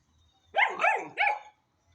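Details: Hanoverian Scenthound puppy, ten weeks old, letting out three quick yelping barks in a row, each with a rising-then-falling pitch, over about one second in a quiet setting.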